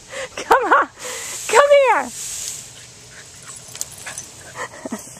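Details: Boston Terrier playing in a sprinkler on a hot summer day: two high, drawn-out whining yelps that bend up and then down in pitch, followed by a few fainter short yips, with a person's voice close by.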